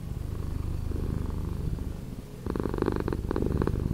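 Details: Slowed-down purring of a house cat, a low throbbing rumble that grows fuller and louder halfway through as a new breath cycle begins.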